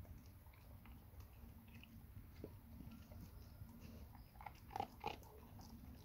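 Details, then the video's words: Labrador Retriever named NONA eating a huge grilled sandwich indoors: irregular, rapid bites and crunchy chewing clicks, a few sharper snaps near the end, over a steady low rumble. "Labrador NONA eating huge grill sandvich"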